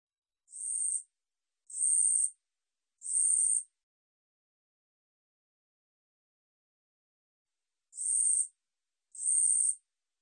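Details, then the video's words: Katydid (우리여치) from a 2020 National Institute of Biological Resources recording: three harsh, high buzzy bursts about half a second each, a long silent gap, then two more, with no other sounds. "우리여치, 여러번 듣기, 곤충소리"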